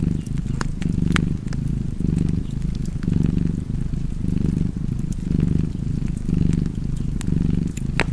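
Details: Domestic cat purring near a fire: a throaty, rumbling drone in around eight rhythmic in-and-out surges, with scattered crisp crackles of burning wood.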